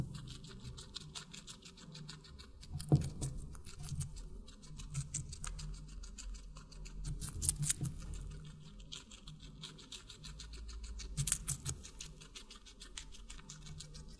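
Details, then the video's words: Steady chewing from a guinea pig feeding on watermelon, soft irregular crunches with a few sharper bites spaced several seconds apart, set against a faint low hum throughout. "Guinea Pig Eating Water Melon"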